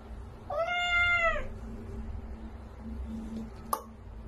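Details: Domestic cat in a funny pet compilation giving one clear, drawn-out meow with a rising then level, slightly falling tone, lasting about a second, followed by quiet room noise and a brief click.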